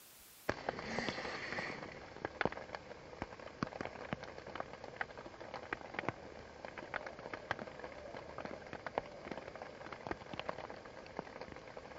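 Steady patter of rain with scattered sharp drip clicks and no clear animal voice.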